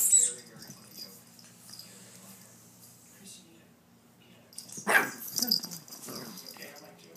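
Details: Pet dogs Chubbles and Cuteness playing rough indoors, with a single sharp bark and scuffling noises standing out over a faint background hum and a person's voice.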